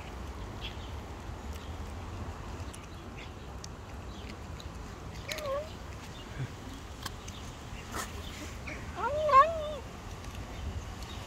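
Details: A stray cat living on the street gives two short, arched meows about four seconds apart, the second louder and fuller, over a steady low outdoor rumble with scattered clicks.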